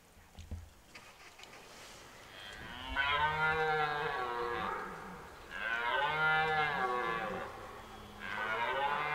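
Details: Rutting red deer stag in Hoge Veluwe park, 2023 rut: three loud, drawn-out bellowing roars, rich in harmonics, each lasting about one and a half seconds and separated by short pauses, with soft background rustle between them.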